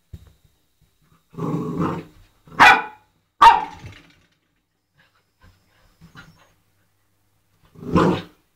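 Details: Eight-week-old Old English Sheepdog puppy at play with a doorstop: a low growly grumble, then two sharp high barks close together, a quiet pause with faint clicks, and one more gruff bark at the end.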